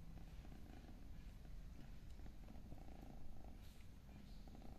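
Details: Kitten purring steadily: a continuous low rumble throughout, with faint scattered clicks and rustles above it.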